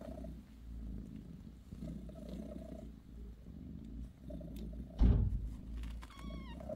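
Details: A mother cat named Bassy purrs softly while tending her kittens; a low continuous rumble, a sudden thump midway, then a short high descending mew near the end.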